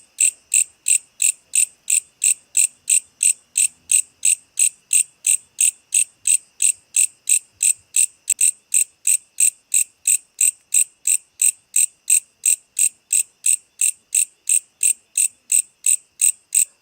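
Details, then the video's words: Insect calling at night: a steady, high, shrill pulsed chirp repeated about three times per second, very regular throughout, with no other clear sounds. "Insects at night. ~ Who makes this noise ?"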